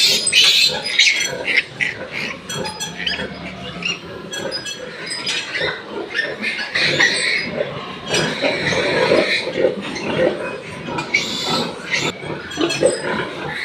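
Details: Newborn piglets on a pig farm, from two sows that farrowed litters of 14 and 10, giving busy high squeals and grunts in irregular bursts, with people talking.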